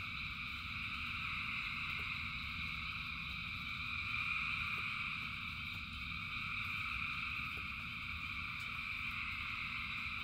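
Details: Rain-soaked frog chorus: countless callers blend into a sustained buzzing trill across several pitch layers, briefly louder near the middle, with a persistent low rumble and a few sharp taps.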